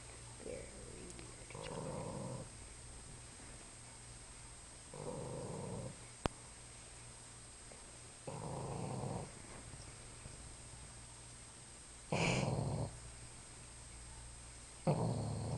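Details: Boston Terrier snoring really loud while sleeping in a weird position indoors: five breathy, rough snores spaced several seconds apart over a steady electrical hum and background hiss.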